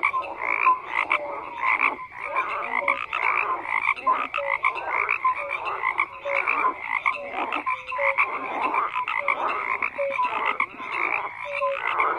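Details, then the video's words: Many frogs croak together in a continuous wall of rasping calls, punctuated by brief clear tonal notes roughly each second and short gaps in loudness. "FROGS CROAKING"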